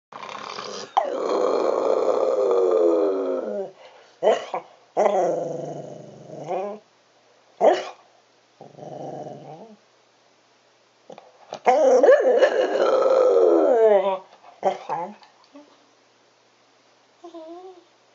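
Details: Pet cocker spaniel howling in a wolf impersonation, indoors; drawn-out wavering harmonic howls of several seconds, broken by shorter yodelling bursts and gaps of silence, ending with a few soft short vocal notes.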